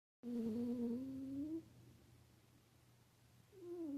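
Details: A pet cat snoring indoors: two drawn-out tonal breaths, each sliding slightly upward, the first lasting over a second, then a quiet pause before the next begins, with a faint low hum underneath.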